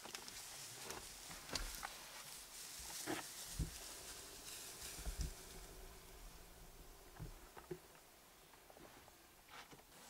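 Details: Casper the white lion attacks the mother of his two surviving cubs after three days of mating with the Satara Lioness, south of Satara Rest Camp, Kruger National Park, South Africa; short, deep growling bursts come in scattered bouts amid rustling and insect hiss.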